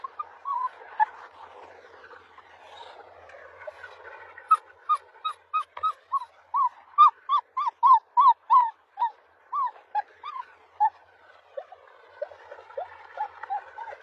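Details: Husky puppies whimpering and whining: soft wavering cries at first, then a steady run of short rising yelps about three per second, tapering to drawn-out thin whines near the end.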